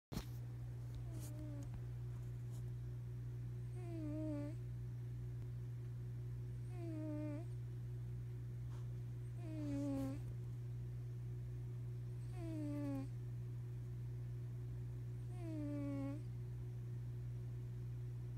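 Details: Maine Coon cat. A sleeping Maine Coon cat snores in slow, regular breaths, each a thin whistled note sliding downward, repeated about every three seconds. A steady low mechanical hum runs underneath throughout.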